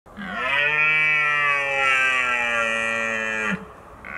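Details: Red deer stag roaring in Richmond during the autumn rut, at the peak of the mating season: one long, drawn-out harmonic bellow of about three seconds, strong and steady, ending abruptly.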